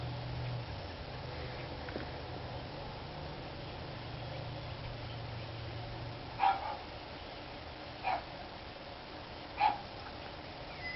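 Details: Dogs barking, recorded March 29, 2013: three short, sharp barks in the second half, about 1.6 seconds apart, over a steady low rumble like an idling engine in the first six seconds.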